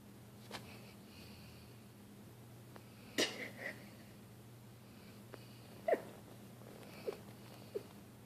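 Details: Dilly, a pet dog, asleep indoors and snoring: scattered wheezy snorts and sniffing breaths at irregular intervals, one louder rasping snort near the middle and a few short higher squeaky breaths later, over a low steady room hum.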